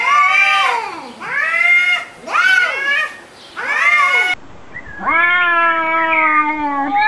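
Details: Cats arguing with loud, arched yowls that rise and fall, three in quick succession, then a long, level, droning wail lasting over two seconds.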